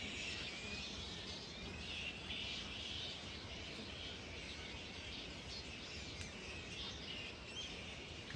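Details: Fruit bats resting at their roost just above the Flora River in the Northern Territory's Big Rivers region, early Build Up season 2024: a dense, continuous high chattering and squeaking wash from many animals, steady throughout with no clear individual calls.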